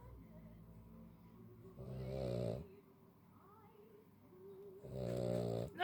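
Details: A tired Cavalier King Charles Spaniel snores while trying to sleep, giving two long, rasping, rattling breaths with a quiet pause between; finding: Cavalier King Charles Spaniel.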